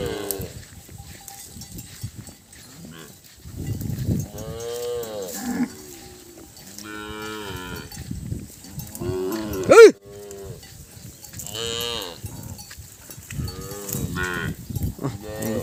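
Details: Many calves separated from their mothers cry at once: a chorus of long, wavering moos, some rising to a loud, strained peak, following each other every second or two, with a faint ringing tone in the background.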